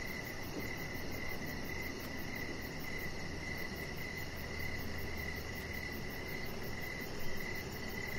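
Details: On an evening deck, crickets give a steady high trill with fast faint pulses above, over a dense low hiss, with one brief louder bump near the end.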